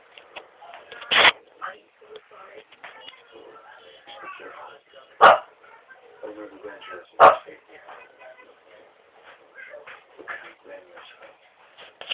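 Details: A domestic dog barking indoors: three sharp, loud single barks spaced a few seconds apart, over near-constant overlapping human speech.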